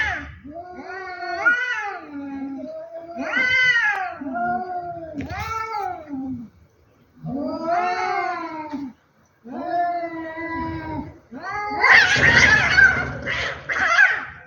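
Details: A fight between two cats: long drawn-out yowls, each rising then falling, come about every two seconds with short gaps between them. Near the end they turn into a harsh, noisy screech.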